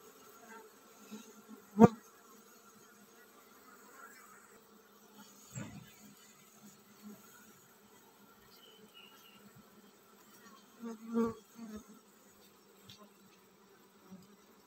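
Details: Honey bee colony preparing to swarm, a steady low droning hum with layered tones, broken by a few sharp knocks near two, six and eleven seconds.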